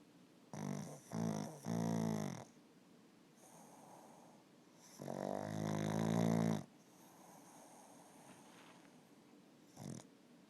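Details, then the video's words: Bumba, a sleeping Pug Boston Terrier mix, snores in rough, buzzy bursts: a short double snort near the start, then a long rasping snore around five to six seconds, with quieter breathing between and a brief snort at the end. "Snoring pug"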